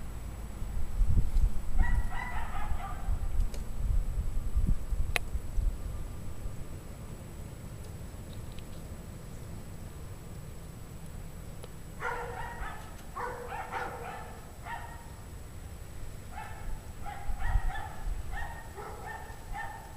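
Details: Dogs on a bitterly cold January 2009 evening, 17 degrees Fahrenheit, 5 PM: a lone bark early on, then after a long pause a rapid, repeated burst of barking from the pack, over a deep background rumble.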